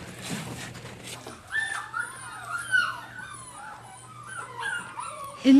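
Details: Dozens of puppies only weeks old, huddled together without their mothers in old trailers at a puppy farm on a freezing, snowy day, whimper with thin, wavering, rising and falling whines that overlap one another.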